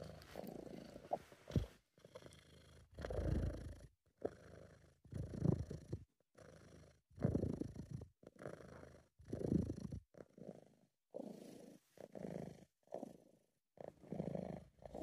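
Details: Relaxed British Shorthair cat giving a low, throaty purr, rumbling bursts rising and falling with each inhale and exhale about every two seconds, short silences between.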